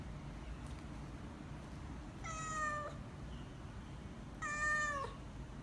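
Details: Hungry British Shorthair kitten meowing indoors; two drawn-out, slightly falling meows about two seconds apart, each nearly a second long with a rich stack of overtones, over a low steady background hum.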